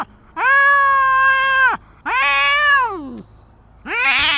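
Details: Tabby cat confronting a big white stray cat outdoors, long drawn-out yowls with rich harmonics, a steady wail followed by a falling one, then a rising strained cry starting.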